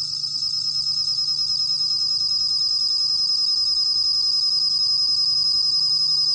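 A bell cricket sings a steady, high, ringing trill that carries on without pause.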